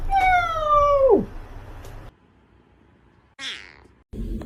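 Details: A domestic cat gives one long meow that holds steady, then slides sharply downward at the end. After a pause comes a short, softer breathy mew, with low room rumble throughout.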